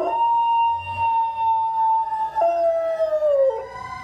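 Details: Golden Retriever answers a fire truck siren with a sustained level howl held for two seconds, then dropping to a lower tone that sinks gradually before breaking off, with faint siren tones behind.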